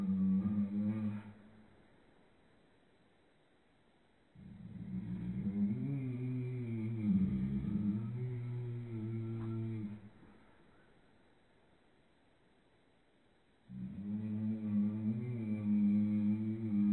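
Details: A howler monkey, shown in slow motion, gives deep, droning howls in long bouts separated by silent pauses.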